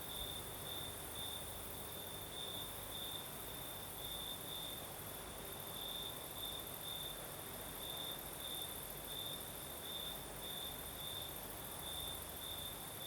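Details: Crimean crickets sing through a southern night as a breeze blows, their high trill beating in regular bright pulses, roughly two per second, steady for the whole stretch, backed by constant soft rushing wind noise.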